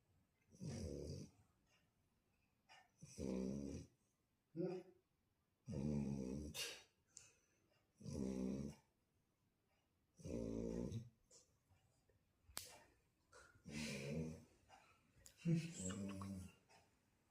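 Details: A Shar Pei snoring indoors: low, rumbling, throaty breaths repeating roughly every two seconds, some with a hissy edge, interrupted by a few short clicks and brief gaps.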